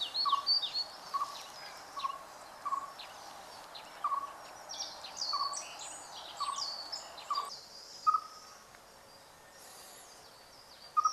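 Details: Siberian chipmunk giving its love call in the spring mating season: short, clear chirps repeated at a steady pace about once a second, each with a faint higher overtone, while thin bird twittering runs above and ends before the last chirps.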